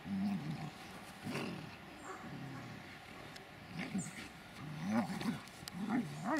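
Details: Dobermanns Mayhem der Biss von Einherjer, 16 months, and his mother Magmar von der Burgstätte, 6 years 7.5 months: low, rumbling growls with a wavering pitch, coming in rough bursts about once a second.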